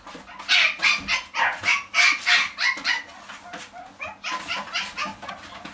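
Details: Dog in a pet shop barking in quick high yaps, about three a second, loud at first and then trailing off into softer barks.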